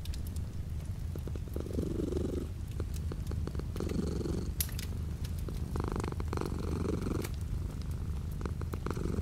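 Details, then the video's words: A cat purrs continuously while light rain falls outside a window; deep, even vibrating drone rising and easing with each breath every couple of seconds, plus gentle rain hiss and small clicks. "The sound of a cat purring with light rain outside the window."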